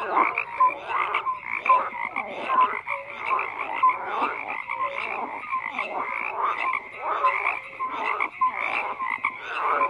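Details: Frogs in a steady, crowded croaking chorus, overlapping pulsed rattles and short tonal notes with no quiet gaps over ten seconds.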